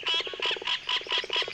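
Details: Bright green tree frog of the Congo forest, with venomous skin and sticky toe pads; rapid series of short pulsed notes, repeated about every quarter second, with higher buzzy overtones in regular bursts.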